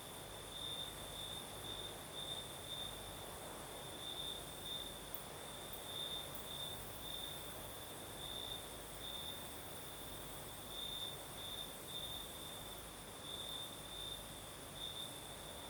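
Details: Crimean night chorus of crickets on the southern coast, breeze blowing: a continuous high-pitched trill broken into rhythmic bursts, layered over gentle rushing wind.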